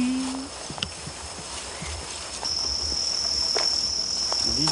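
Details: A green tree cricket (aomatsumushi) sings a high, thin, sustained trill from the treetops in a forest, with people talking nearby.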